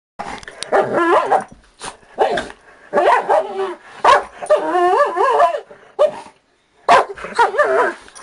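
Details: Two pet dogs, a 4-year-old Dachshund and a 5-year-old blue Doberman, jokingly called vicious as they attack. Bursts of wavy, rising-and-falling growly barks come in runs of about a second, separated by brief pauses.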